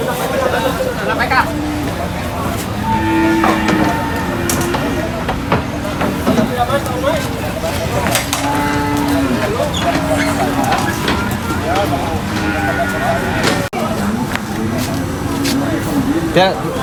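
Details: Cows being unloaded from a truck at a market, giving several low, drawn-out moos at irregular intervals, partly masked by steady chatter of people talking nearby and rumbling vehicle noise throughout.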